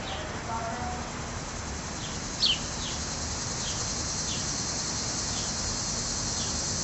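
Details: Cicadas emerging to molt and mate in Munster, Indiana, in hot July air. A continuous shrill buzz runs unbroken, with brief falling chirps repeating roughly twice a second and one sharp bird note near the middle.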